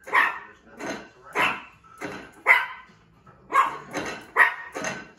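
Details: A one-year-old female Yorkshire Terrier, squabbling with a bowl, barks in quick, bright, high-pitched yaps about one per second, in an uneven series with brief pauses between pairs.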